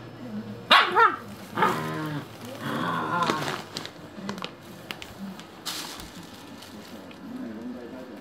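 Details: Shiba Inu family of mother and puppies, the pups said to be cutting her leash to set her free. Whining, yelping cries with a wavering pitch cluster early, then fade into quiet rustling and small squeaks.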